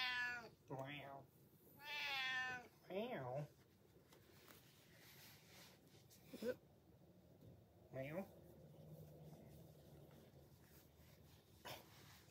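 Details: Pet cat indoors meowing because he wants to be watched while he eats, several rising-then-falling meows spread over the recording, mixed with a person talking and saying meow back.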